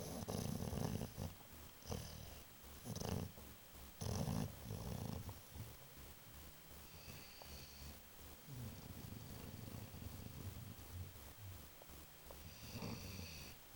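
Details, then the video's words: Babu, a pet dog, asleep and snoring: low rasping snores roughly once a second at first, then softer steady breathing rumble, indoors with faint background hiss. "Schnarchender Hund!!"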